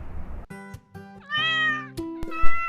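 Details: Domestic cat raised indoors, giving a clear rising-then-falling meow of under a second, followed by a shorter second mew, with background music throughout.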